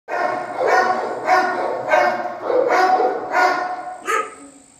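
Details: Dogo Argentino barking in a steady series, seven harsh, rich bursts spaced roughly every half second, the final one shorter and quieter, with little else in the background.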